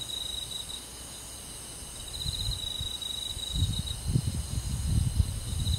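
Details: Cricket song on a summer night in a rural forest: a high pulsing trill that starts, pauses and resumes, with low thumping noise growing louder toward the end.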